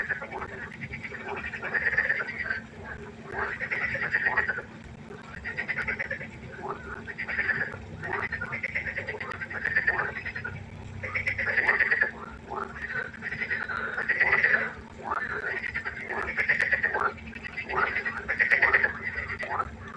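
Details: Nighttime frog concert at a pond, many frogs croaking together in rhythmic pulsed bursts about once a second, each a rasping, quacking rattle, with a faint constant low hum beneath.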